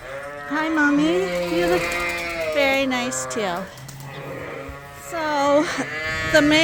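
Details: Suffolk lambs at Ewetopia Farms, mixed together in the barn after escaping through an open gate; long wavering, nasal calls rise and fall, overlapping one another, with a brief quieter lull midway.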